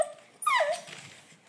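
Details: Olde English Bulldogge puppy, ten weeks old, at play: one short high whining yelp that slides upward and then falls away, followed by quiet.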